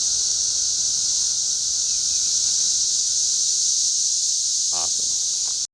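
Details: Many cicadas in the trees at Schroeder Park, Ballwin, Missouri, producing a loud, even, high-pitched drone, briefly joined near the end by a short human vocal sound before it cuts off.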